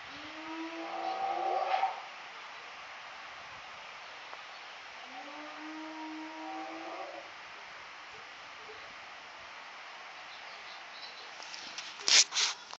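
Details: A male spotted hyena at a zoo gives two long, rising, hollow howls, several seconds apart.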